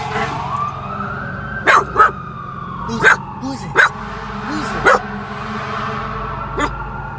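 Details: A corgi frightened by fire trucks gives short, sharp yelps and whines over a steady wailing siren.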